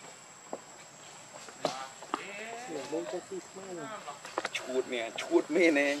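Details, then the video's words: Monkey named Rainbow, very angry while protecting Lucie from Kachoy: a series of wavering, harmonic cries and squeals rising and falling in quick bursts, growing louder toward the end, with soft scuffing sounds and a steady high background tone. "Rainbow Very Angry To Protect Lucie From Kachoy"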